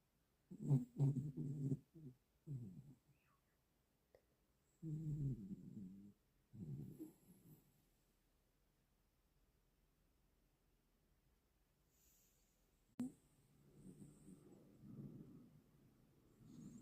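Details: A sleeping Cavoodle puppy snores in rough, low, rasping breaths. They come in irregular bursts of one to two seconds, separated by stretches of near silence.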